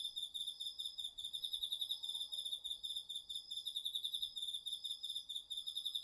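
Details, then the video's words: Crickets and other autumn insects chorusing in a home garden field, recorded with a DR-40X. Two or more high, pulsed trills overlap steadily without pause, one slightly higher than the other, forming a dense shimmering layer. "秋の虫の声 ASMRでおやすみなさい 〜虫の音を枕元で聞いてね〜 こおろぎ他"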